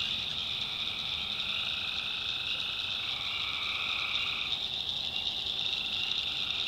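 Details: Night chorus of tree frogs from a North Carolina backwoods swamp, a steady shrill wall of overlapping trills with one band stepping up in pitch midway, no pauses, a faint low hum underneath.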